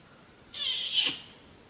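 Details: Wild male orangutan giving a territorial kiss squeak, a sign the photographer is too close and unsettling him: one sharp, breathy, high-pitched squeak lasting about half a second, rising abruptly out of quiet surroundings and then fading.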